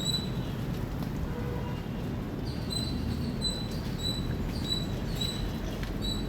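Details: Loud chirping from an Indian squirrel, thin high 'chip' notes repeated at roughly even intervals, set against a heavy low hum of background noise.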